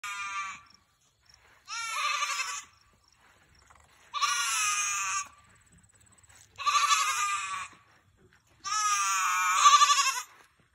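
A Nigerian Dwarf goat gives a string of loud, nasal bleats, roughly every two seconds. Each call wavers and trembles, giving it an odd, almost comical quality.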